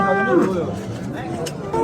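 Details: Cattle, including bulls and young bull calves, at the Baliqchi livestock market. A drawn-out, bending harmonic moo over a steady crowd murmur and men's voices, with faint music behind.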